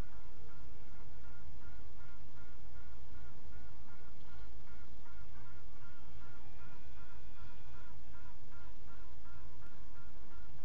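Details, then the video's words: Quacking of honey bees recorded at midnight, 27 June 2016, a dense run of short harsh pulses in quick regular succession throughout, faint thin steady tones overlapping midway, steady low hum beneath. "Bijen Tuten en kwaken"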